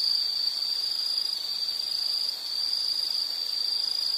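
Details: Insects buzzing in a steady, unbroken high-pitched trill that holds one shrill tone throughout, with a faint higher overtone and a slight dip in loudness midway.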